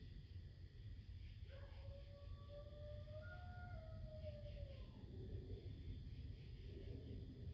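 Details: Coyotes at Camp Mortonhouse on 22 September 2023: a single faint, drawn-out howl that holds steady, rises gently, then falls away, heard over a constant low rumbling background.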